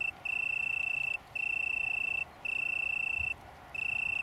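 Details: Italian tree cricket (Oecanthus pellucens) from a small colony on downland near Brighton, UK, recorded 21 September 2019: a pure, steady trill held for about a second at a time, with short gaps between each long burst.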